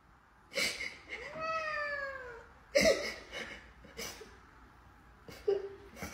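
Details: A domestic cat produces one long harmonic meow that arches and falls over about a second. Short noisy bursts surround it, and a brief lower second meow-like sound follows near the end.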